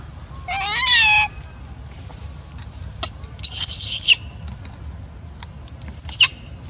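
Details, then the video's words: Upset female macaque Elpida, jealous as old female Susie receives food, lets out one wavering harmonic coo, then two bursts of piercing, high squealing notes separated by quiet clicks. "Darling Elpida Seem To be Jealous When I Fed Old Female Susie, Elpida Has Nice Sound But Like up-set"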